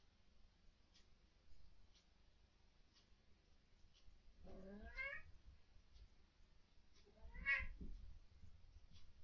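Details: Pet cat indoors at night, vocalising at what its owners call ghosts or orbs; two drawn-out wavering meows several seconds apart over low background hum and faint ticking.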